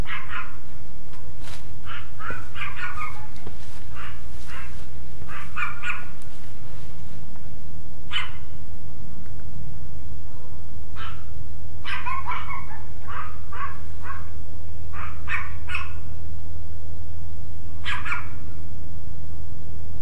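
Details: Dogs barking at night on May 30, 2010, around 11:02 pm, heard from a living room; sharp barks come in irregular bursts of singles, doubles and quick triples over a steady low hum.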